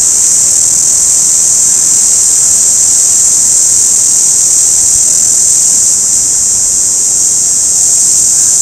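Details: An orange cicada drones on in one continuous, shrill, hiss-like buzz, even in loudness from start to finish, with nothing else clearly heard.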